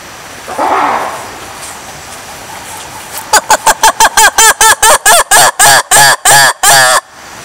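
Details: Lemur giving a fast series of loud, harmonic, yelping calls, about three per second, after a softer low call near the start; quiet background.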